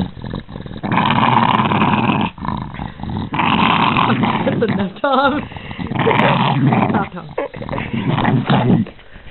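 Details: A Boston terrier that dislikes being touched, growling angrily in long rough low bursts, briefly broken by a short higher whine, with a person talking to the dog.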